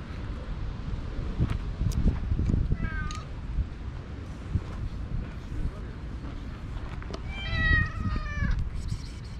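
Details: Stray cats in a park, several gathering while one is petted, give clear harmonic meows: a short one near three seconds and a longer, louder drawn-out meow near eight seconds, over wind, handling noise and a person talking.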